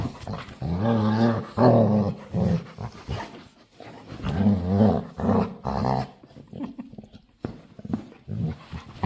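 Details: A playful female dog begging to play gives weird, drawn-out, low, groaning growl-moans. They come in wavering, talkative bursts of about two seconds each, with short pauses between them.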